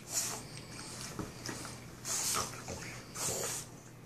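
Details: Boston Terrier brothers at play, producing three or four loud, breathy snorting bursts, each lasting under half a second, with quieter huffs and shuffling in between, indoors.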